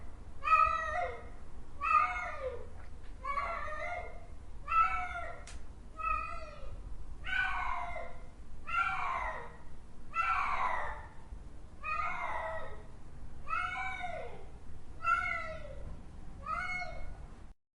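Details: ['Repeated cat miaows, about a dozen in eighteen seconds, evenly spaced and arched in pitch, growing louder and more strained toward the middle, with steady low rumble behind them.']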